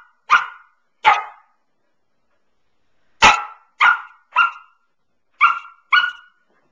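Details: Young Samoyed Pearl, nine months old, barks from her beloved couch: two barks, a pause of about two seconds, then a run of five quicker, slightly higher and more tonal barks.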